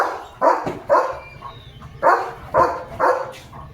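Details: Leo, a pet German Shepherd, barking in excitement over a chicken chips treat: five loud, broad barks spaced about half a second to a second apart, with quiet background between them.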